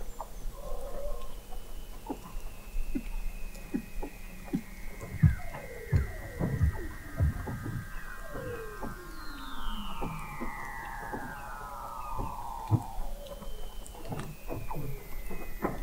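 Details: Weddell seals vocalizing beneath sea ice in McMurdo Sound, Antarctica, November 2017, from an observatory 21 m under the ice; several long descending trills and glides overlap with rapid clicks and low pulses, a chorus of callers.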